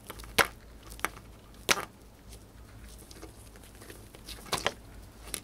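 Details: A pet female hamster indoors eating dried corn, which she finished fast: sharp, dry crunching clicks spaced irregularly, a few loud bites among quieter nibbling, in a quiet small room.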